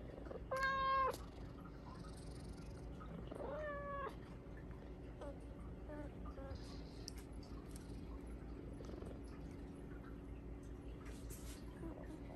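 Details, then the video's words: Pet Bengal cat Hua pounces on its owner and begs for Japanese cod sticks at supper: a loud stacked meow, then a second drawn-out, slightly wavering meow, followed by softer brief chirps and clicks over steady indoor hum. "Cat's eating Japanese cod sticks with adorable voice"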